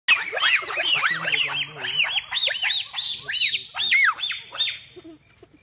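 Several bonobos shriek together in rapid, high, arching calls that overlap into an excited chorus.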